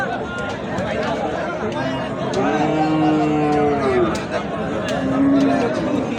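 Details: Cattle, bulls and cows, at Ambari haat, a livestock market held on Fridays and Mondays. One long, steady, low moo lasts nearly two seconds mid-clip, with a fainter one near the end, amid constant men's chatter and crowd noise.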